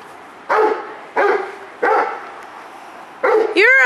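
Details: Rottweiler Multi CH Jero Vom Haus Nagy, excited while going for the ball: four short, harmonic barks roughly every two-thirds of a second, then a rising-and-falling high whine at the end.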